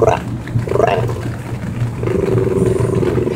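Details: An Italian greyhound makes odd, drawn-out grumbling moans, described as a happy noise, over a steady low hum.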